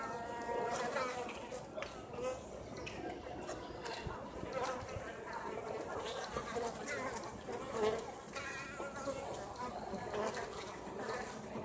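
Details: Japanese honey bees of an overwintering colony at Osaka Castle, Japan, leaving the nest to forage on a mild late-autumn day; overlapping wavering buzzes of many bees in flight, rising and falling as they pass, with sharp clicks.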